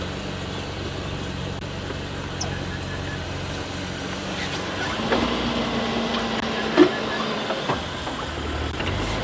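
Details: Steady vehicle engine rumble with a few faint clicks and brief murmured voices; no animal calls stand out.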